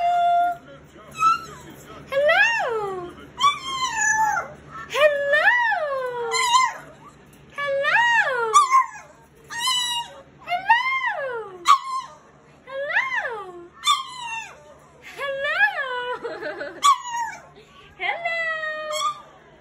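A French Bulldog puppy 'talks' in a series of high, whining cries, each swooping up and sliding back down, about once a second. The chattering vocal run serves as a greeting in a small indoor room.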